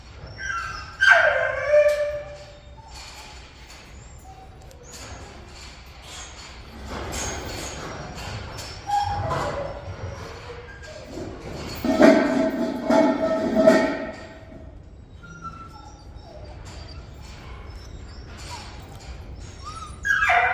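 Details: Active Jindo puppies, a litter of black, yellow, brindle and black-and-tan pups: a high yelp slides downward early on, thumps and rustling follow, then a burst of harmonic whining yips, with another sharp yelp at the end.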